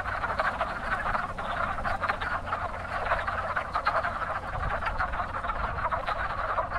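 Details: Wood frogs calling in spring at a very active breeding pond: a dense chorus of short, hoarse, clucking croaks overlapping continuously, with faint low rumble beneath.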